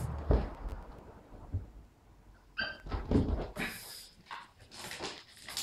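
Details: Two-and-a-half-month-old West Highland White Terrier puppy Stella at play with Nappy, aged three: dull thumps and knocks, a short tonal whimper midway, then rustling and scraping play noises.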